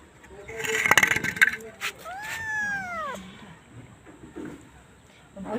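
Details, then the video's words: Domestic cat meowing once: a drawn-out arched call lasting just over a second, rising slightly then falling, heard after a burst of clattering noise, with faint background voices. "Funny Cats and Kittens Meowing"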